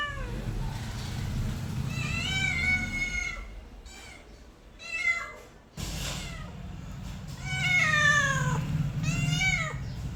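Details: Cat family with kittens, a series of shrill, wavering meows, some rising then falling, in bursts over ten seconds, with a low steady rumble underneath during parts of the clip.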